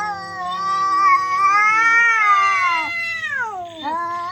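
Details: Cats fighting, a very loud and weird sound: long wavering yowls rich in harmonics, rising and falling slowly, with a sharp dip and a fresh upward wail near the end.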